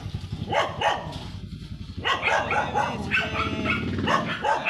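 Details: Sanji, a blue-line Shih Tzu out on a sidewalk in San Carlos City, Pangasinan, lets out strings of high, clipped yaps against a steady hum of street noise.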